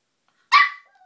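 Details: Brio, a very vocal puppy, gives a single short, sharp bark indoors in a small room, with a bright, noisy burst fading quickly.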